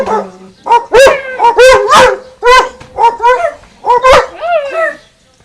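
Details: Dogs Winston and Popeye barking back and forth at a garden fence: loud, arched barks with strong harmonics, about eight in quick irregular succession, some with a whining upturn at the end.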